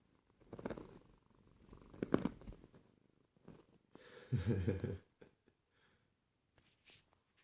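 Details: Pet cat purring indoors, a low rumbling, pulsed vibration in uneven bursts, strongest near the end, with soft handling noises and brief quiet gaps.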